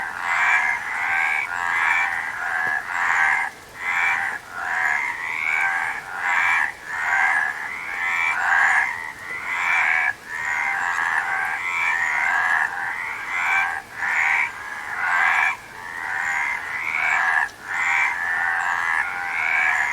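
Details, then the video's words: Frogs calling together in a dense chorus: rasping, buzzy croaks overlap in bursts about a second long, separated by short dips, with no other clear sounds. "Frog Sound"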